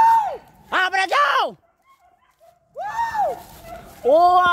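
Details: Village dogs hunting wild boar, chasing many scattering boar: loud arched yelping bays, each falling in pitch, in a quick burst of three, then a pause and two more drawn-out bays, with people talking at times.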